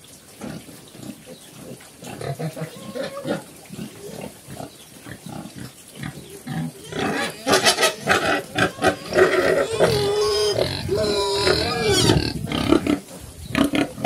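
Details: Black Cambodian farm pigs, Chrouk Kandorl, a sow and her kids: soft scattered grunts at first, then from about seven seconds loud rapid squealing with wavering tonal cries, many piglets calling together.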